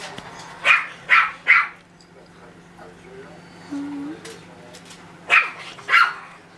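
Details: Russkiy Toy puppies nearly two months old, indoors: sharp high yaps in a quick burst of three, then two more later, with soft whines between and a woman speaking French.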